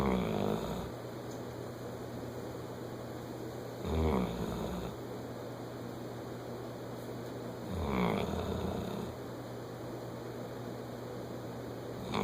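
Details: Sleeping bloodhound snoring, with deep, rasping snores about every four seconds and quiet breathing between them over a steady low background hum.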